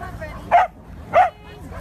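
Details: White corgi giving two sharp, short barks about two-thirds of a second apart, mid-pitched with bright harmonics, over low background hum.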